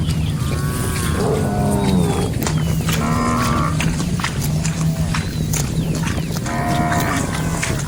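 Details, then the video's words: Cows wander and graze among rice paddies, letting out three lowing calls: one near the start, one midway, one near the end. Scattered bird chirps and a constant deep background rumble are audible. "Suara Sapi Lembu Lucu"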